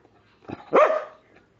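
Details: A pet dog, female, begging for food, gives one short, loud, voiced 'talking' vocalisation: a brief low grunt, then a rising and falling yowl-like whine lasting about half a second, indoors, with a person's voice just before and after.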